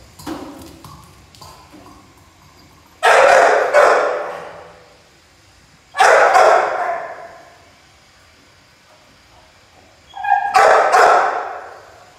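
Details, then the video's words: Pit Bull puppy playing, with three spaced bursts of loud, harsh double barks about three seconds apart, quiet room noise and small clicks between them. "Pitbull puppy playing"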